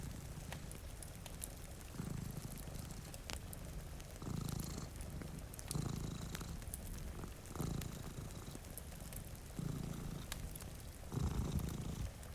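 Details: One of two cats sleeping by a rainy window purrs with a rich low rumble that surges in six rhythmic breaths, about every two seconds; fire crackles and gentle rain sound underneath.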